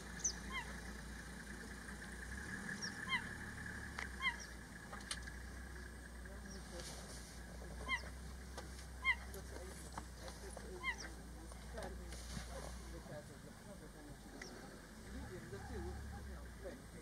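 A cheetah gives short, high, bird-like chirps, repeated every second or two instead of roaring.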